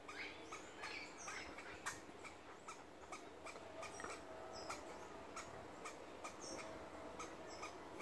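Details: A squirrel in its tree gives short, sharp barking chucks in uneven bursts, scolding a person in the tree; it later snuck up and bit the person's finger.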